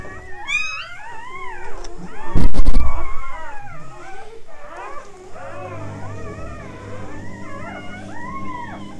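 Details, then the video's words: Newborn Labrador Retriever puppies whimpering and squealing, several overlapping high wavering whines that rise and fall, a loud thump midway, then a low steady hum beneath continued fainter cries. "newborn labrador puppies"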